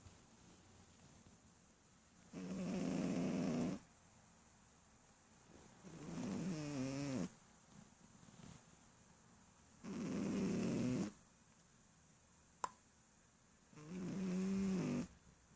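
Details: Sleeping adult female Shih Tzu mother snoring heavily, four buzzy, rasping breaths each lasting over a second and recurring about every four seconds, with a single sharp click near the end.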